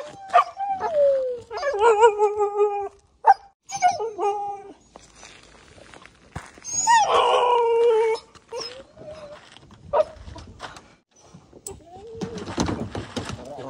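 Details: Pet Siberian Husky Balto, worked up before a trip to the park and wanting to go down first, gives drawn-out falling whines and wavering howls, then a loud rough howl mid-clip, followed by quieter whimpers amid household noise.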